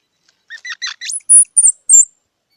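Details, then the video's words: Squirrel making a rapid series of squeaky chirps that climb and sharpen into several thin, high-pitched whistled squeaks. Clean, quiet setting. "សំលេងដង្ហែន Squirrel 🐿️ Sound"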